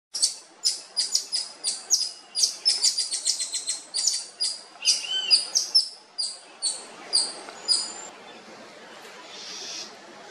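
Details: Wild Wied's black-tufted-ear marmosets on Comandatuba Island, Bahia state, Brazil, recorded October 2023: rapid series of very high, thin whistled notes with stacked harmonics, about two per second, slowing and fading after eight seconds.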